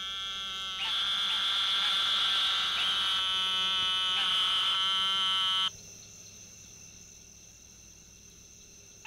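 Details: An Eastern narrowmouth toad (Microhyla carolinensis) gives a long, high, nasal buzz like a bleating lamb, held for several seconds.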